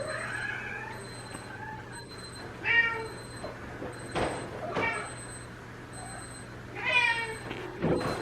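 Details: Drawn-out, wavering meows and caterwauls from a female Ragdoll, 1.5 years old and in her first heat (day three), directed at a neutered male cat indoors; faint steady electronic beeping runs in the background.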